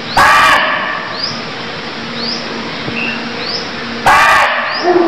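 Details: A barking deer in Cambodia gives two loud, hoarse single barks about four seconds apart, with faint bird chirps between.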